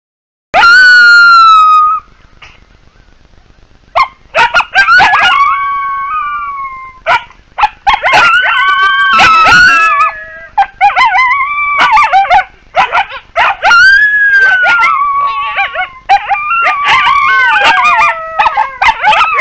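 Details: A chorus of wild coyotes: an opening high howl, then dense overlapping yips, yelps and short falling howls, rising and falling in excited bursts through the whole stretch.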